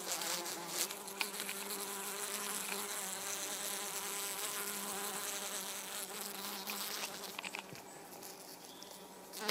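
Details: Three European hoverflies (Helophilus pendulus), including a mating pair, make a steady low droning hum with layered overtones. The pitch wavers slightly and the buzz swells and fades, set against a broad background hiss.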